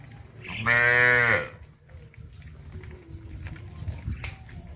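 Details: Traditional village cattle on their morning walk to green pasture; a single short, rich moo near the start, then quiet rustling and a sharp knock.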